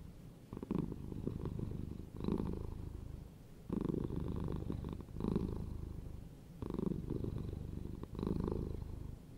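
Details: Purring house cat, low continuous rumble rising and falling in regular waves about every one and a half seconds, each swell marking a breath in or out.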